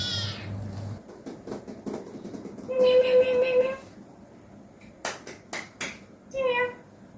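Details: Pet cat being played with at home; a loud, steady, level meow lasting about a second, then a brief short meow, with sharp clicks and taps between them.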